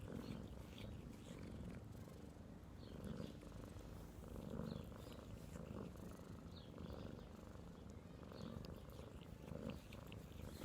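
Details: A domestic cat purring steadily, a low rumbling pulse throughout with faint rustling in the background.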